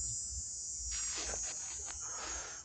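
A cicada's high, steady, shrill buzz drones without a break while a man talks over it.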